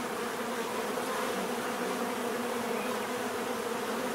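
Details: Many bees make a dense, steady droning buzz with a low hum and a brighter overtone above it, unbroken and even in loudness throughout, with no other sounds.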